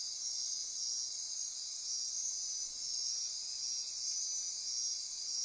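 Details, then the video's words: Dense nocturnal insect chorus at midnight in Costa Rican rainforest near Corcovado National Park, Osa Peninsula; steady high-pitched buzzing and trilling bands stacked continuously, with a faint pulsing shimmer throughout and no breaks. "Midnight Insect Chorus"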